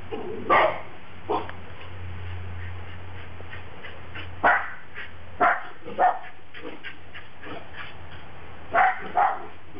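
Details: Japanese Spitz dogs playing in snow in Tennessee in 2009, the most snow they have ever seen, give short sharp barks and yips in scattered bursts over a low steady background hum.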